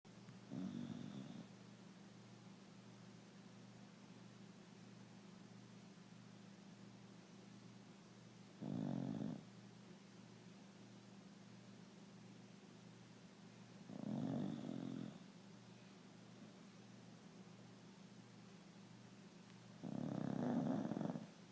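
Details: Sleeping Beagle snoring indoors: four deep, rasping snores spaced roughly five to six seconds apart, each lasting about a second, over a steady low electrical hum with quiet pauses between breaths.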